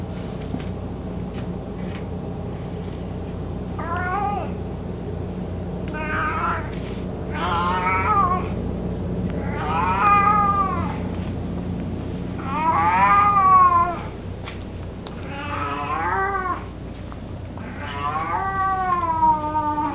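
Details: Eighteen-year-old cat Mico, mostly blind, playing with his toy mousey at home, gives a long run of short wavering meows, several bent upward then down, coming every couple of seconds with a faint background hum.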